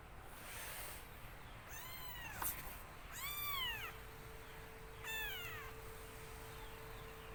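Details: Black kitten, still a baby, gives three clear meows and a faint fourth. The cries are thin and bent in a high arch. A brief click is heard, then a steady low tone hums in the background.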